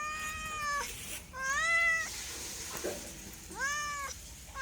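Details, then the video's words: Domestic cat meowing in three drawn-out, harmonic-rich cries, each rising slightly then falling, separated by pauses, with faint room noise. "MEOWING MEOWING - CAT CUTES - CAT FUNNY - SOUND CAT - MEOW CAT 01"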